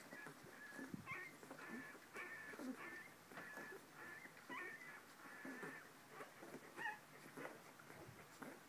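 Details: Twenty-one-day-old corgi puppies at a breeder whimper and squeak in thin, high, wavering whines that come in short bursts; filmed 19 August 2014.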